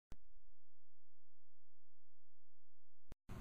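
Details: A flat, low-pitched hum fills the recording from start to finish. Sharp clicks at the beginning and end frame it, and no animal calls can be picked out.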